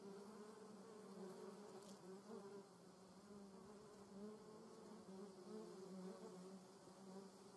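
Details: German wasp in a garden: continuous low wing drone with a clear overtone, wavering gently in loudness throughout, with one brief sharp tick partway through.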